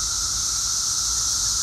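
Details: Chorus of Brood XIII periodical cicadas around trees during their 2024 emergence, which comes once every 17 years. The sound is a constant buzzing drone, a held middle tone beneath a bright, hissing wash that never breaks.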